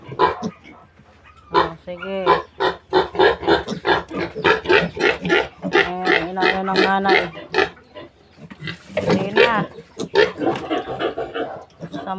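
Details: Month-old piglets from a new sow being weaned on a farm squeal and grunt in quick succession, some calls drawn out and wavering, with a louder harsh outburst near the end and a man speaking at times.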